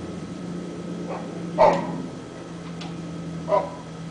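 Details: A dog left outside unattended barks at holes in the ground; a few scattered, muffled barks, one louder than the rest, over a persistent low drone.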